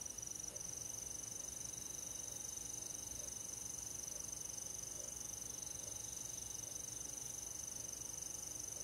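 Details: Crickets and other insects on a quiet summer night in a rural forest, giving a steady, high, unbroken shrill trill with soft, faint pulsing lower down; calm background hiss and no people or music.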